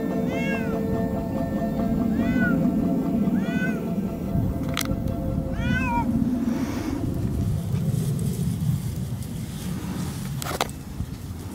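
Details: A male Siamese cat, walking off-leash through a new meadow, gives loud, drawn-out yowling meows to call his sister to keep up, which is his typical behaviour in a new area.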